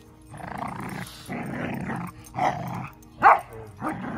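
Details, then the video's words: Standard Schnauzer named Cash, loud and vocal while playing with a puppy he is growing up with, not aggressive: sustained rough, rumbling growls in long stretches, then shorter sharper growl bursts near the end. "Standard Schnauzer "Cash" Aggressive sounds???"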